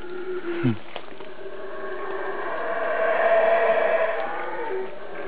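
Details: Close howler monkey somewhere overhead, out of sight; after a short low sliding sound near the start, a gravelly roar builds and peaks before easing off toward the end.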